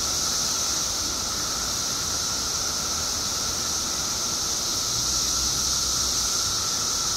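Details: Seventeen-year periodical cicadas, a huge Illinois emergence, produce a constant wall of piercing high buzz layered over a lower continuous drone, unchanging and even from start to finish.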